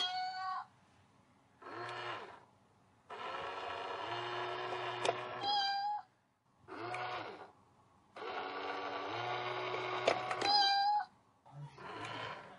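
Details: Domestic cat facing off with a cat box, giving a series of long, drawn-out, strained meows lasting one to two seconds each, separated by brief pauses, some shorter calls in between, in a quiet indoor room.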